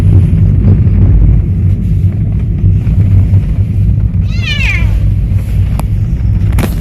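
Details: A cat on its first trip out sightseeing gives a single wavering meow that slides downward midway through, set against constant deep road and engine rumble with a few sharp knocks.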